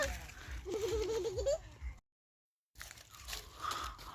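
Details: A young goat kid named Kuddus gives one wavering, quavering bleat of under a second. People talk nearby, and a short stretch of silence follows.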